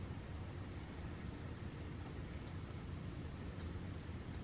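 Only a steady low engine-like rumble is heard, with no animal calls.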